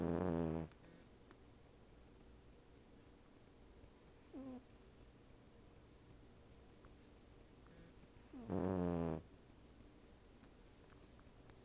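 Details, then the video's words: Female Cavalier King Charles Spaniel asleep on the back of a couch indoors, a Siamese cat napping beside her: deep, throaty snores with a buzzing harmonic drone, one at the start, a faint short one midway, and a loud long one near the end, quiet room between. "Cavalier King Charles Spaniel, snores!"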